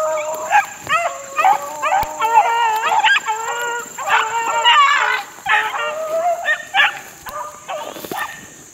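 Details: Four-month-old Beagle pups out in the wild, 2013, giving drawn-out, wavering howling bays and sharp yelps that rise and fall, several voices overlapping in short bursts.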